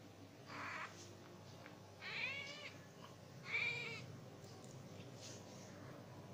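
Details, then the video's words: Diana, a female Persian cat in heat and ready to mate, utters three drawn-out wavering meows about one and a half seconds apart, each slightly warbling in pitch, against a quiet indoor background. "Persian cat in heat"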